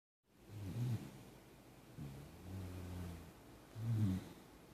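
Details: Beagle Jack Russell mix named Lucky snoring lightly on a Saturday morning: low rumbling breaths rising and falling, three soft snores in under five seconds, quiet room.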